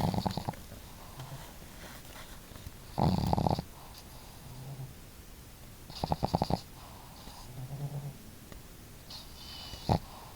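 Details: Household dogs Marimo, a female with a bold snore, and Daigoro, a quieter snorer, sleeping side by side. Loud rasping snores come roughly every three seconds, with softer low snuffles between them.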